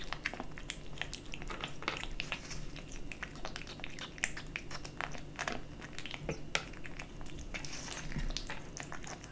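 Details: Dry and wet cat food being eaten by a kitten, heard as quick crackly chews and wet bites in close succession against a faint constant low drone.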